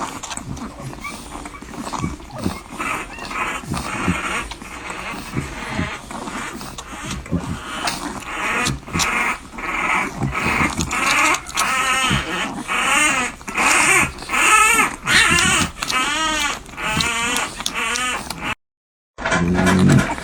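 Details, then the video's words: Newborn French Bulldog puppies nursing, recorded close up: a run of high, arched, squeaky whimpers in quick succession, about one every second, growing louder and steadier toward the end, over soft rustling and suckling noise. "The Sounds of Life: Newborn French Bulldogs Nursing"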